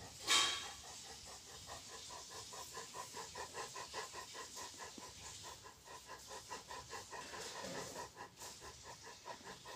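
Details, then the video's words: Big boy Rottweiler with tongue out, panting in quick, steady breathy puffs, several per second, a soft rhythmic hiss continuing throughout, with a brief louder rustle near the start. "big boy rottweiler tongue"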